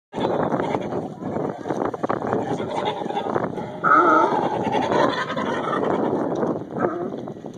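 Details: Angry sea lions, with one sea lion annoying the rest of the group; harsh, raspy barks and groans overlap in irregular bursts, with a brief tonal honk near the middle and a steady low background rumble.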